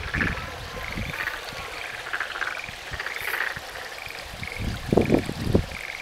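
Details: Frogs in Tsumago, Kiso Valley, Japan, call together in a steady chorus of brief, pulsed trilling notes about every half second. Near the end a nearby caller adds several sharper, lower croaks over faint background noise.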